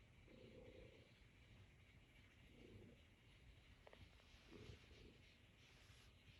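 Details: Norwegian Forest Cat kneading on its owner's lap indoors, purring in soft, low, rumbling bursts that swell roughly every two seconds, with a faint steady household hiss behind.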